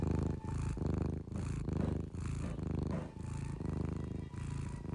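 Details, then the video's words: Sleeping cat snoring: low, rumbling pulses in a steady rhythm, a little over one a second, with no other clear sounds. "cute cat sleeping snoring"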